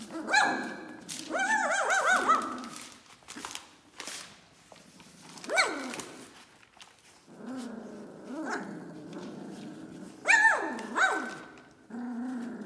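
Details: Dobermann puppies, 21 days old, giving high, wavering whines that rise and fall in pitch. Bursts cluster early, then recur around six and ten seconds, with soft rustling and clicking between calls.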